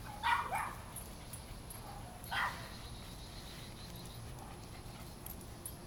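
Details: Eight mixed-breed pet dogs, including terrier, boxer-lab, poodle, basset-beagle and catahoula mixes and a French bulldog, play and run around in a yard; two short, sharp barks about two seconds apart over a quiet outdoor background.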